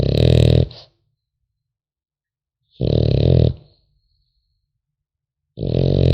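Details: A French Bulldog puppy snores in its sleep, with deep raspy rumbling inhalations under a second long separated by silent gaps of about two seconds, recorded close up indoors.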